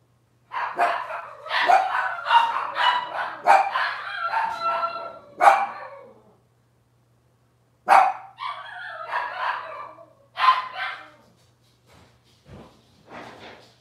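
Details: Litter of Cavalier King Charles Spaniel puppies from Robin, indoors on a kitchen cam, yapping in dense overlapping bursts of short, high, harmonic barks and yips for about five seconds, a pause, then scattered further yelps and squeaks tailing off.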